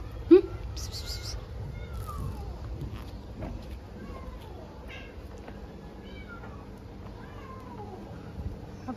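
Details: Stray cats being fed outdoors, with several thin, falling meows repeated every second or so through steady street hum, a sharp knock at the start, and a woman speaking Chinese to them.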